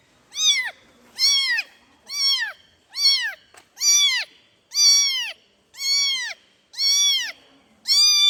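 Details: A kitten calls out to its mother with a steady string of nine high, bending meows, each swelling then dropping in pitch, spaced under a second apart against a quiet background.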